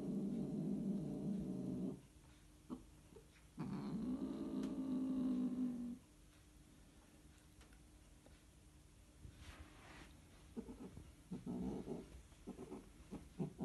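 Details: During mating, Scottish Fold cats produce two sustained low growling yowls, the second rising into a steadier tonal moan, followed by a long quiet stretch and then scattered brief rough cries.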